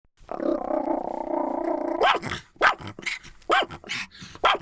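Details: A Pomeranian dog growls in a long, steady, rumbling snarl for about two seconds, then gives four sharp, rising yappy barks spaced roughly half a second apart.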